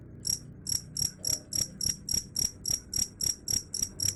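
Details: Cricket sound claimed to keep rats away: sharp, high-pitched chirps pulsing regularly, roughly three to four per second, each short and ringing, with faint low-frequency rumble underneath.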